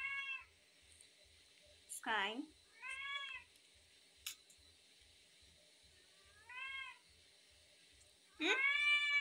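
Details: Tabby cat begging when hungry, giving clear arched meows mixed with a loud, harsh cry that sweeps steeply downward and a strong final wail, over faint steady low pulsing in a quiet room.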